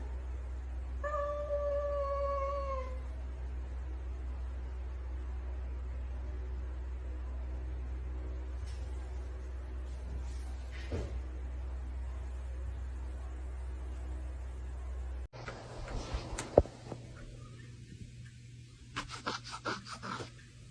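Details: Pet cat with one clear, tonal meow near the start, held level for about two seconds; afterwards a steady low electrical hum, scattered clicks and handling noises fill the rest.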